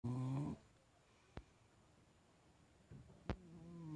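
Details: Sleeping Bulldog snoring: a rough, low snore opens, followed by a quiet pause with two sharp clicks, then another drawn-out nasal snore at the end.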